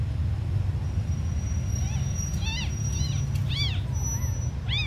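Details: Small abandoned kittens giving a few thin, arched mews that start after a quiet moment, set against heavy low rumbling noise and a faint steady high tone.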